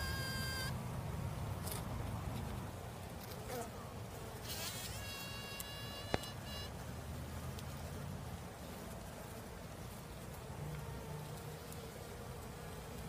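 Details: Continuous low, even hum of a female honey bee, overlaid early on by several short high, ringing harmonic chirps and one sharp click midway.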